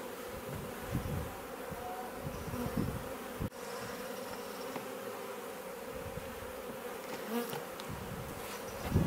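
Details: Honey bees from a swarm that had just moved into a garden bait hive in Leicestershire, England, in June, coming and going, fill the air with a steady, low droning buzz of many wings.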